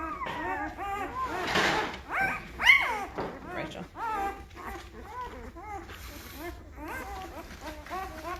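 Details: A litter of Great Bernese puppies, five days old, born to the Great Pyrenees Lacey and the Bernese Mountain Dog Castle. Short, rising-and-falling squeaks and whimpers tumble over one another, with a brief rustling burst partway through.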